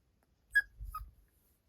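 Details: Pet dog at home giving two brief high whining notes, the second lower than the first, while a person talks to it about playing; quiet room otherwise.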